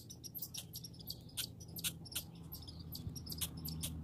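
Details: Squeaky clicking chatter from grey and red squirrels in a backyard, fast and uneven, about three notes per second, over a droning low background.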